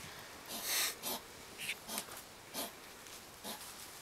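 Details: Two hedgehogs, possibly an older male and a young female, squabble one July 2009 evening in a yard, huffing in short, breathy, hissing puffs at irregular intervals as the older one backs off.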